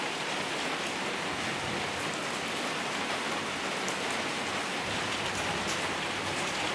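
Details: Steady heavy rain pours down throughout, a dense even hiss of drops with occasional brighter spatters; no animal voice is heard.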